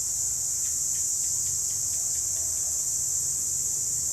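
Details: Cicadas in the wild, a continuous high-pitched buzzing drone that holds steady without a break, with faint rhythmic ticking underneath at roughly a third of a second apart.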